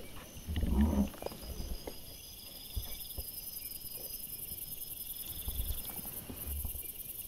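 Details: Male wild boar filmed by a trail camera on 28 September 2024, giving one short, deep, rough grunt near the first second, followed by quiet rustling and faint steady high insect tones in the background.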